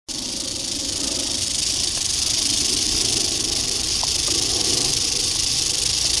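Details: Eastern diamondback rattlesnake, dated 8-27-11, rattling: a steady, dry, high hissing buzz that starts abruptly and holds unbroken for about six seconds, with a faint low rumble underneath.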